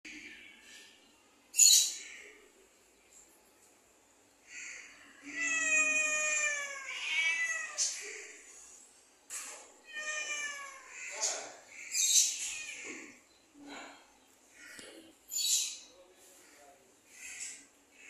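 A domestic cat gives long, drawn-out meows that rise and then fall in pitch.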